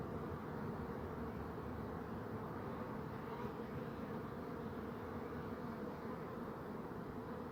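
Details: Bees buzzing as they go about their business: a dense, unbroken low hum with a steady drone. It holds an even loudness throughout, and no other sounds are clear.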